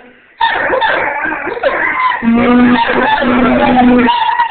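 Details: Rhodesian Ridgeback Baloo howling along with a blown sea shell, joined by a second dog, Rufus, on the choruses; wavering overlapping howls with a steady low tone from the shell held underneath.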